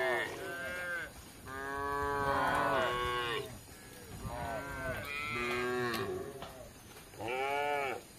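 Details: Tame cattle roaming the village for grass produce five moos at irregular intervals, some drawn out for over a second, others short and rising, with faint background noise.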